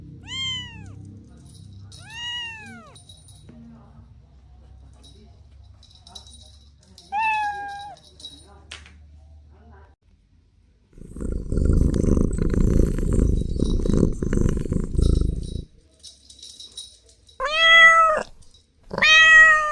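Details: Playful kittens on grass giving clear arched, high meows, two spaced early, one mid-way, then two louder ones near the end, with a burst of low rumbling noise in between.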